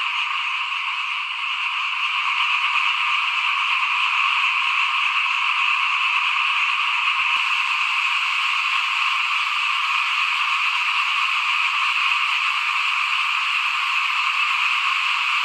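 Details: A frog chorus in front of a house while rice is being sown for the 2021 planting: constant, rapid overlapping calls form an even trilling drone, briefly interrupted by one soft thump partway through.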